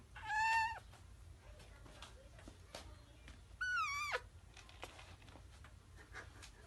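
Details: Kitten meowing indoors while using the litter box: two clear, high, harmonic meows, the first short and steady, the second longer with a falling end, separated by about three seconds of quiet room noise.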